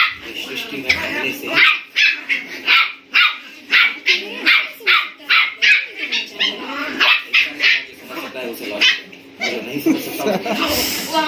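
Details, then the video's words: Two 57-day-old German Spitz puppies, also called Indian Spitz, play-fighting aggressively in an angry mood. They give rapid, high, harsh yaps and growly barks in dense bursts, roughly two per second, throughout. "German spitz dog puppy fight scene angry mood on"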